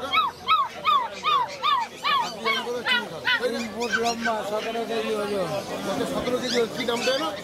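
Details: Puppies at a pet market in Kolkata, West Bengal, whining and yelping in a rapid series of high, arched cries, several overlapping, with human talk mixed in.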